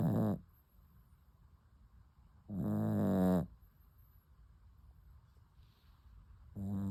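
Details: Puppy asleep, snoring in long rasping harmonic breaths, three snores spaced about two to three seconds apart, with quiet pauses between them.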